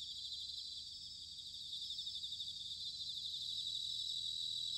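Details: Autumn chorus of bell crickets from Sanuki in Chiba, Japan: a continuous high-pitched ringing trill, rapidly pulsating, that grows slightly louder toward the end over a soft low background hum.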